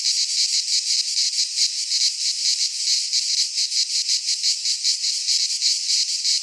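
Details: Midsummer cicada chorus recorded in Greek pine forest, an even, high-pitched metallic buzz throbbing in regular rapid waves, with nothing else heard.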